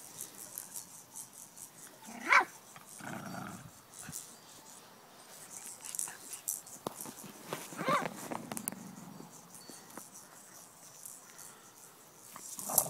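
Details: Five-week-old Jack Russell Terrier puppies playing in a backyard with their parents: a sharp high yelp, then a low rumbling growl a second later, another softer yelp near eight seconds, light rustling throughout.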